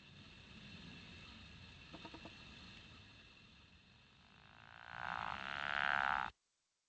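A Pickerel Frog gives a low, rattling snore lasting a second or two over a hissing background.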